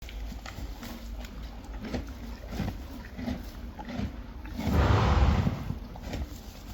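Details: Friesian horses and foals eating hay, steady crunchy chewing with soft rhythmic grinding, then a louder rustling burst of hay handling midway before the munching settles back.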